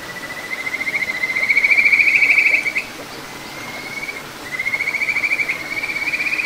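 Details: Kajika frog in a small stream flowing through satoyama, Ichihara, Chiba, Japan, June 9, 2022: long, smooth, high trills that rise and swell in loudness, a second trill following after a brief pause.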